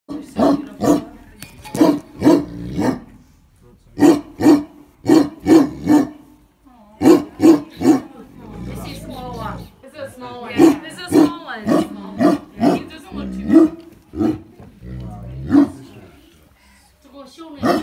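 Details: Tibetan Mastiff barking: deep, booming barks in quick bursts of two to four, roughly one per second, with short pauses between volleys and a stretch of muffled, rumbling mixed sound midway.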